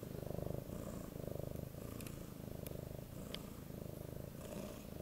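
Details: Affectionate eight-month-old male Siberian cat begging for cuddles: a loud, low purr that pulses rhythmically throughout, with faint scattered rustles.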